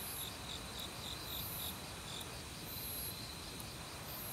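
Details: Crickets chirping in an autumn forest with other insects: scattered short, shrill chirps and a brief high buzzy pulse series, set against the broad hiss of a mountain stream.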